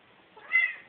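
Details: Male house cat meowing indoors while getting his toy and opening a drawer: one short, harmonic, slightly rising-then-falling meow lasting about a quarter second, ending in a sharp click, with a person's encouraging voice nearby.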